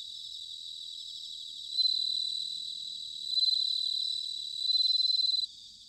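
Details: Autumn bell cricket song recorded at Sanuki in Chiba Prefecture, Japan: a nearer insect rings out in three bright, bell-like bursts of rapid pulses, each about a second long, over a continuous high shimmering chorus.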